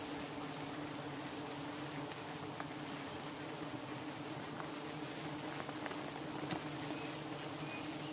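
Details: Hundreds of thousands of giant honey bees, Apis dorsata, being released in the morning after relocation at the PGP agricultural college in Namakkal; a steady, low, droning hum holds throughout with a faint hiss of background noise.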